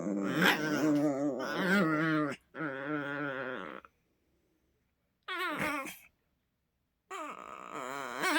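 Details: Two poodles squabbling playfully indoors, making strange grumbling and moaning sounds: wavering, harmonic-rich growls and whines in long bursts, with short gaps of silence between them.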